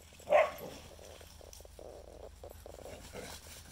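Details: A Shikoku and a Karelian Bear Dog wrestle on a freshly melted pond, noisy play typical of Shikoku. A single sharp, loud yelping bark opens the clip, followed by softer scuffling and low murmuring sounds against a quiet outdoor background.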